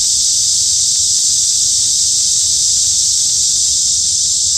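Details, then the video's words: Midsummer cicada chorus in the woods of Hanbat Arboretum, Daejeon, South Korea, forming a dense continuous shrill hiss without pauses or changes in intensity, over a soft low background rumble. "한여름 숲속 매미소리"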